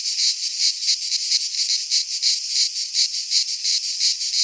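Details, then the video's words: Cicadas of the Greek fauna singing in a pine forest in midsummer; a shrill, hissing drone rises and falls in rolling waves of roughly one per second over a constant buzz. "Cicadas singing in midsummer"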